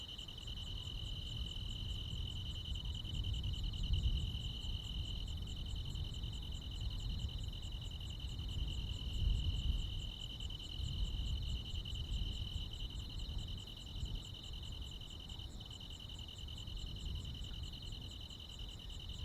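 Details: Crickets and other insects ringing through a rural midsummer night, an unbroken shrill pulsing trill for the whole stretch, faint high ticks overhead, with low background rumble and a couple of soft thumps.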